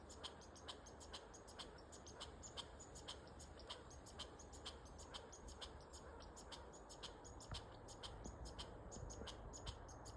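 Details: Squirrel outdoors in Nova Scotia, giving a long run of sharp, dry, clicking ticks, roughly two a second, over a steady broad hiss of background noise.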